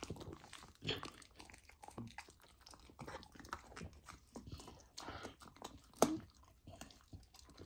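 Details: Young golden retriever trying raw lamb for the first time, chewing loudly with crunches and moist smacks at uneven intervals, plus one sharp louder bite near the end.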